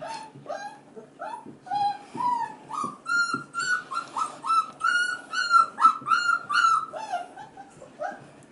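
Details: Five-and-a-half-week-old male F1b Goldendoodle puppies crying while their sisters play with kids: quick repeated whimpers around two per second, pitch climbing in the middle then settling, indoors.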